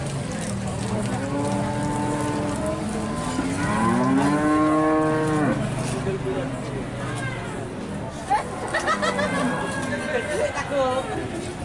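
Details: Large Limousin cattle at the Pon livestock market in Nganjuk, East Java, Indonesia: a long, drawn-out harmonic moo rising and then falling, with shorter lows after it, over market chatter and crowd noise.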